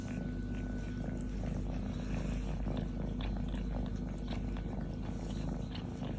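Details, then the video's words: A young female kitten, almost grown, purring from contentment while sitting on a person's chest, licking and kissing him indoors; a steady low rumbling purr throughout, with soft wet licking clicks. "Kitten loves her human, kisses and licks him while purring"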